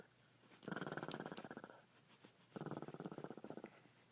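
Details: Pet Shih Tzu Sampson asleep, producing two buzzing, throaty snores about a second each, separated by a short quiet gap, with a coarse flapping rattle through every breath.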